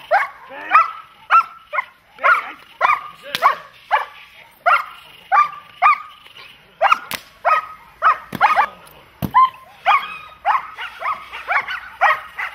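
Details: German Shepherd and Malinois dogs during protection training bark in rapid uneven volleys, harmonic sharp barks packed closely, with a few sharp clicks or snaps between them.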